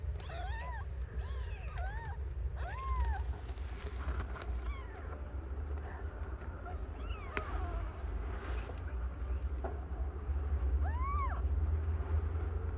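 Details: Young female domestic cat, under one year old, giving birth to five kittens of different colours; short rising-then-falling meows come about five times at irregular gaps over a steady low hum.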